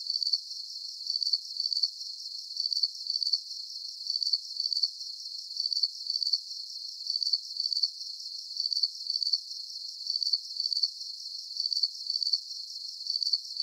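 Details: Nighttime cricket chorus for relaxation, with bright, thin, high-pitched chirps in clustered pulses coming at an even pace, roughly one burst per second, over a soft constant hiss of more distant crickets.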